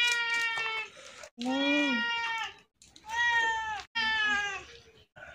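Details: Sick cat with severe scabies, hungry and thirsty, crying after coming to a house to ask for help; four drawn-out, tonal meows, the second bending up then down, separated by short silences.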